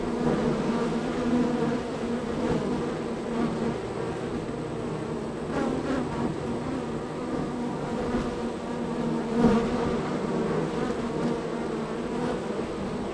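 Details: Honey bees at hive three of a row, very active with constant arrivals and departures; a sustained, even buzzing hum with occasional louder passes as single bees fly close by.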